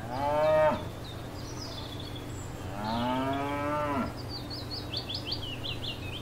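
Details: Grazing cows in a field give two moos, a brief one then a longer rising-and-falling low, while birds twitter high above, ending with a run of quick repeated chirps.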